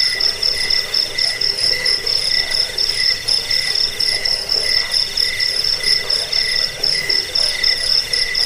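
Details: Cricket song recorded for rat deterrence, sleep and tutoring songbirds; quick high-pitched chirps pulse about four times a second in a continuous, shimmering, uneven rhythm.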